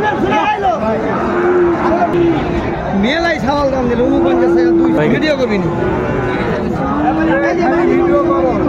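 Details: Sahiwal bull calves at a cattle market in Chuadanga, 16 January 2025: drawn-out, level moos about a second long recur several times over steady crowd chatter and nearby talking.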